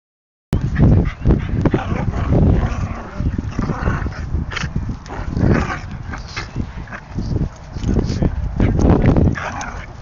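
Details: Two dogs, one a puppy, play-fighting together; loud low rough growls and short bow-wow barks come in bursts every second or so, with scuffling thumps and a person speaking at the end.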